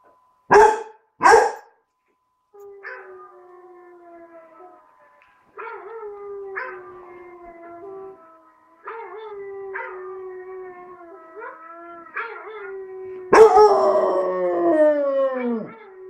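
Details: Bruce, a four-month-old tricolour basset hound puppy learning to howl: two sharp barks, then a run of wavering, drawn-out howls repeated every second or two, ending in a louder, fuller howl that slides downward.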